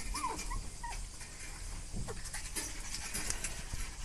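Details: Panicked dogs whimper: thin, wavering high whines in the first second, then continuous hurried panting and rustling to the end, with one short squeak midway.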